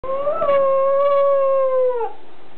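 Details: Welsh Corgi howling, recorded 5 October 2006: one sustained, steady mid-pitched tonal howl with rich harmonics, lasting about two seconds before dropping slightly at the end. No other sounds.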